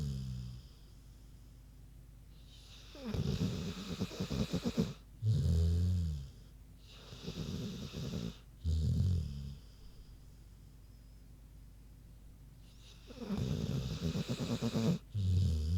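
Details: Sleeping big pig snoring steadily: rough, low rattling snores in breath cycles roughly every two to four seconds, each a loud breathy rush with a throaty rumble, with quieter gaps between bouts.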